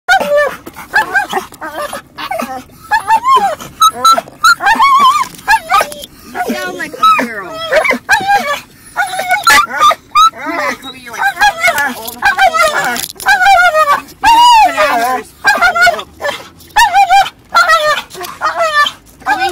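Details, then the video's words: A dog vocalising comically inside a car while a second dog moves around, giving a steady run of wavering, yodel-like whines and short yelps that bend up and down in pitch, packed closely with brief pauses throughout. "funniest dog sound"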